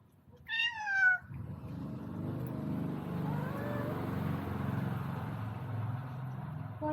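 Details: Visiting male cat from outside, come to eat and seeking a mate with a spayed female, gives one short, strained, wavering meow, then a steady low engine-like rumble fills the rest.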